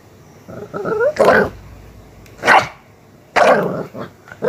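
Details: Miniature Pinscher kept as a pet, in an aggressive mood, giving three loud, harsh barks spaced about a second apart, with a faint snarl just before the first.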